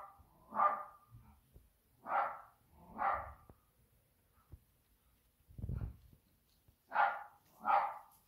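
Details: Indoor cat grieving for Toby, an absent feline companion, refusing to play; six drawn-out, nasal meows about a second apart, each swelling then fading, with a dull low thump between the third and fourth calls.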